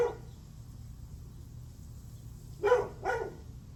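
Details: A dog on July 9 at 8:38 am gives the tail of a bark, a long pause, then two fast barks close together, against a faint continuous low hum.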